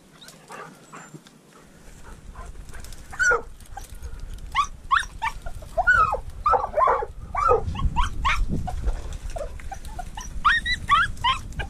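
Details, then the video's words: Mink hunt with a treeing walker coonhound and a dachshund: excited, irregular barking and yelps, some drawn out and wavering, coming in rapid overlapping runs across the clip, with low rumbling noise below. "Minkjakt med tax & treeing walker coonhound"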